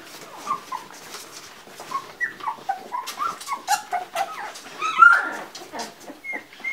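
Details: Two-week-old Labrador Retriever puppies from one litter, recorded 11 January 2016 while being roused, produce a steady run of short tonal whimpers, each a brief rising-falling squeak, coming about twice a second.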